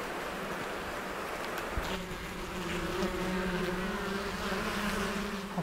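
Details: Western honey bees at an apiary during the first spring hive visit: a steady droning hum with a low buzz band and a fainter overtone, wavering slightly in pitch, broken by a few sharp clicks.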